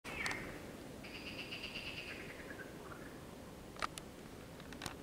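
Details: Marsh frogs croaking at night on the Wilanówka, 16 June 2023: one pulsed, rattling croak lasting nearly two seconds, steady and then falling away at its end. Short clicks come before and after it, over a low background hiss.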